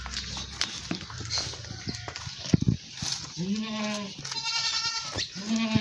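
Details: Goat on a village farm at milking time, giving two drawn-out, wavering bleats in the second half, with clattering and rustling handling noises before them.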